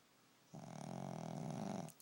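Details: A pet dog sleeping and snoring loudly indoors, one long rough rasping snore lasting about a second and a half with a low buzzing drone, followed by a short sniff.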